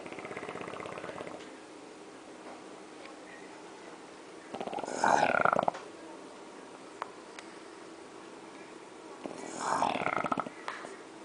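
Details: Jorge, a French Bulldog, snoring indoors; two loud, rasping snore bursts about five seconds apart, separated by quiet breathing.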